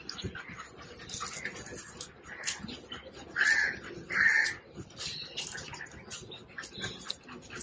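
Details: Puppy with cropped ears having its stitches removed at home, one of two puppies, giving short high whimpering whines, two clear drawn-out cries near the middle, over background music and rustling handling noise.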